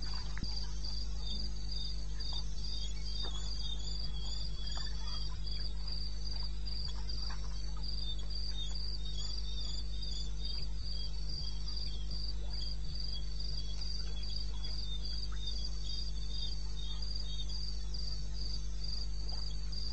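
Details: Crickets in eastern Botswana wilderness at night, 2:30 am, 21 May 16: a dense, rapid train of high-pitched pulses runs unbroken for the whole stretch, layered over softer chirping and a persistent low background drone.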